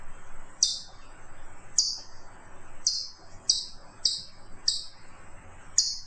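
A chipmunk gives sharp, high chips, repeated about once a second.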